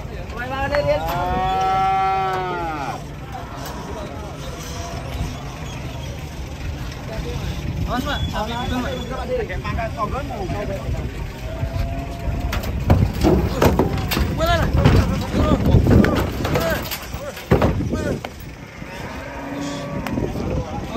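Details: Large jumbo cow at a market in Indonesia, once weighing one ton and recovered from foot-and-mouth disease, gives a long, drawn-out moo with rising-then-falling harmonic arcs at the start, followed by crowd noise, clatter and music.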